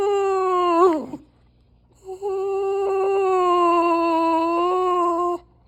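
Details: Dog giving an odd drawn-out whine: a short wavering cry that dips and cuts off, then after a pause a long, steady, nasal moan held for about three seconds.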